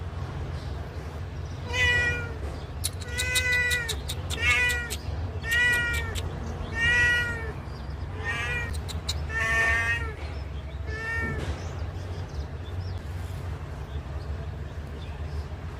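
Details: Cat whose eye was blinded by someone, meowing mournfully as if describing its misfortune; about eight loud harmonic meows in an irregular series, each under a second long, fading out toward the end over constant low hum.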